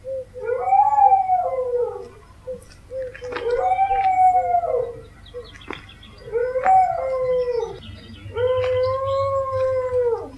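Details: Dog howling in a compilation of howl recordings: four drawn-out, wavering tonal howls with rich overtones, each rising then sliding down, separated by short gaps, with faint low rumble underneath.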